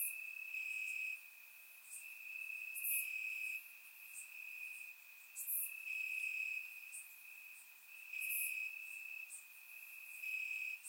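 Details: Night chorus of crickets in grass in Bulgaria on a warm summer evening, captured through a surround microphone; a continuous shrill ringing trill rises and drops in loudness, punctuated by short piercing high bursts roughly every three seconds.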